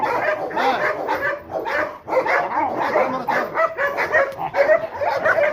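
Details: Guard-dog training of a Rottweiler on the attack: dense, gruff barking repeated almost twice a second in uneven volleys, with the trainer's shouts of encouragement mixed in. The dog was formerly afraid of being approached.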